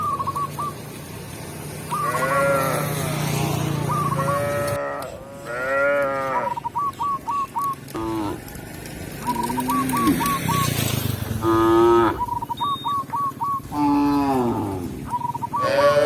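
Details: Village cows moving calmly toward the pen with their shepherd in a peaceful rural scene: repeated moos of varied length spread throughout, some deep and drawn-out, interleaved with short rapid high piping notes and a faint low rumble.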